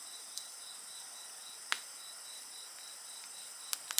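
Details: Insects chorusing beside a bonfire: a steady high, pulsing trill with several thinner continuous high bands underneath, interrupted by sharp, loud crackles and snaps from the fire.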